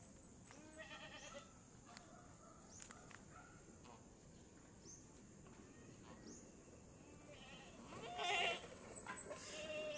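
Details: Mother goat struggling to give birth while a person helps pull the kid out; wavering harmonic bleats near the start, then a louder, harsher bleat around eight seconds, over steady background hiss and faint clicks.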